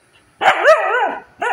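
A Siberian Husky grumbles in a wavering, whiny moan that rises and falls in pitch.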